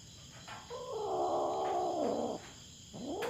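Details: Aggressive feral cat on a Philippine farm, raiding the resident cats' territory and squaring off against a black cat. It utters a loud, prolonged, tremulous caterwaul that falls at the end, followed by a rising cry, with crickets humming throughout.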